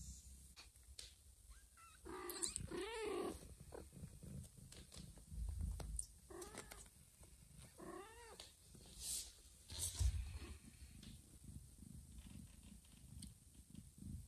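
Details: Mother cat caring for her two newborn kittens indoors, moving a kitten to a hidden place; several drawn-out harmonic meows near two, six and eight seconds over a steady low purring rumble and handling noises.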